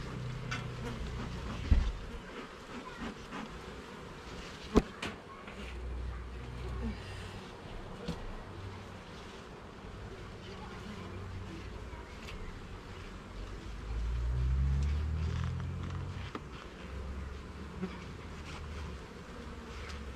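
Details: Honey bees at a garden hive during an inspection of its levels and frames: a low, steady droning hum with slow swells in loudness, broken by a few sharp knocks and clicks of handling.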